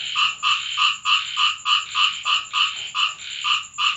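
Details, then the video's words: Frog croaking at night in the rain at a home in Thailand; loud nasal pulses repeated roughly three times per second, each slightly drawn out, over a constant thin high hiss. "เสียงกบร้องตอนฝนตก Frog sound effects,Rain sound in my home"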